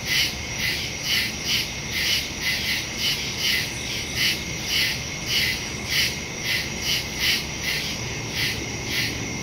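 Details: Crickets chirping at night in the woods, recorded September 2, 2023, on a Samsung Galaxy S22 Ultra phone with a Shure MV88+ stereo microphone; high, shrill pulsed bursts repeat about twice a second over a steady insect hiss.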